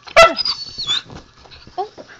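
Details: Zoey, a young husky, gives a sharp yelp followed by a high thin whine while her owner talks about going outside; softer grumbles trail off afterward.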